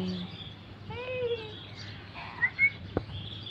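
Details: Three cats found sleeping by a roadside in the morning, one called Minu being played with; a single short harmonic meow with a gently arching pitch, followed by faint bird chirps over a steady low hum.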